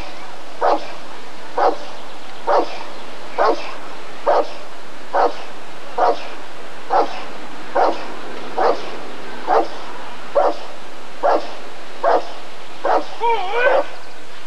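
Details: Rottweiler at an ADRK breed survey (Körung) in 1994, giving a steady series of deep, evenly spaced barks about once a second, fifteen in all, the last few rougher and run together.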